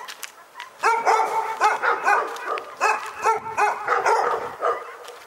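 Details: Dogs at Pyrga bark continuously after a faint start, rapid clipped barks piling up from what sounds like several animals, with a short dip in volume before the chorus resumes.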